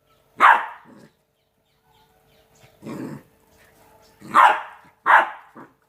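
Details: Playing Rottweiler puppies aged two months: a sharp yap, a low grumbling growl-bark, then two quick high barks close together.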